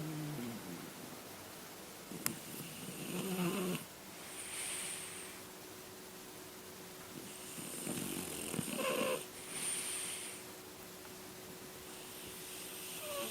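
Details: French Bulldog, later aged 11 years 8 months, snoring softly while napping at 4 pm on 9 March 2013: rasping, breathy snores about every five seconds over a hissy indoor background.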